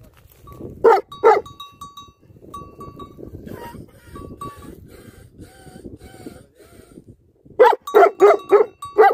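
Livestock guardian dogs give deep, loud barks in quick bursts, with a steady high tone behind them.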